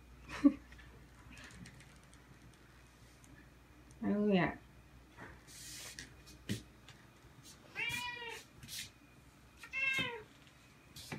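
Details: Indoor Ragdoll cat, about two years old, meowing while its owner gets ready to go out; three short meows spaced about two seconds apart, among quiet speech and household noises.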